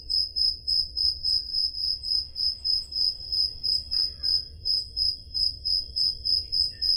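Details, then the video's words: Summer-night crickets in Peloponnese, Greece, recorded with a Zoom H5: shrill, evenly spaced chirps repeating about three times a second, with a few faint higher calls and low hum behind them. "Crickets Sound Effect"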